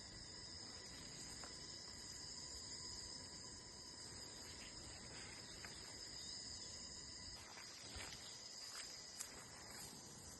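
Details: Cricket chorus outdoors: a constant shrill, ringing drone held at one high pitch throughout, with a few faint clicks near the end and a quiet hiss beneath.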